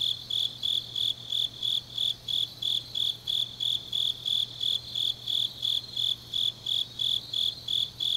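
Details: Grass insects calling in the deep autumn night of Changnyeong, Gyeongnam province, Korea, with clear high chirps pulsing evenly at nearly three per second and nothing else audible.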